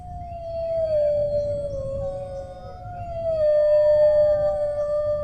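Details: Dog howls in long, smooth drawn-out notes, gently sliding down then lifting again into a sustained steady tone, with a constant low rumble behind.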